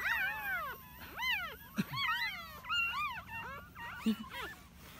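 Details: Whimpering from newborn puppies being rescued out of a hole in the ground, nine pups in all: rising-and-falling whines, several overlapping, with a couple of soft low thumps.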